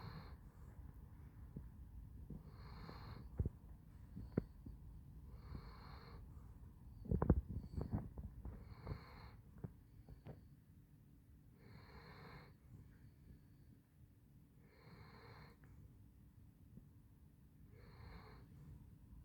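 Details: Sleeping Basset Hound, Handsome Jack, giving steady wheezy snores roughly every one and a half seconds, a sharp snort or click burst midway, otherwise quiet indoor background.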